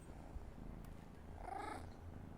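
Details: Pampered pet cat responding when its owner calls its name: a steady low rumbling purr throughout, with a brief faint tonal call rising over it about two-thirds of the way through.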